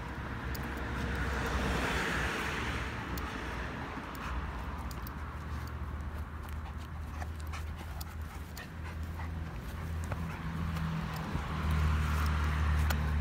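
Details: Dogo Argentino during training, panting in fast, fairly steady breaths of about four per second, soft breathy rasps laid over a constant low background hum.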